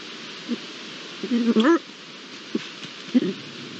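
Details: One of a pair of Iberian lynx, recorded on 22-09-22 with original sound, gives a short rising, harmonic meow-like call lasting about half a second, framed by a few brief low grunts over steady background hiss.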